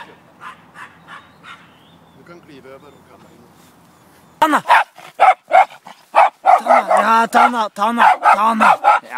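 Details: Border Terrier barking: after a quieter stretch of faint sounds, loud harmonic barks burst out in a rapid, irregular series, about four per second, with a person's voice calling nearby.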